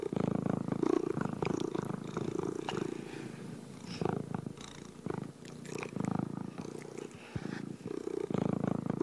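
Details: Cat purring in a continuous deep rumble, pulsing in rhythmic surges with brief softer dips, plus occasional light ticking and rustling noises.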